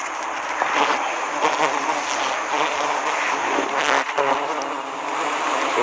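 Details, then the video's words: Wild giant honey bees during a forest honey harvest of 25 nests at Sinamar in Kerinci regency, Indonesia. A dense, broad, continuous humming swarm fills the clip, with rustling and handling noises in the background. "Panen Lebah Hutan 25 sarang"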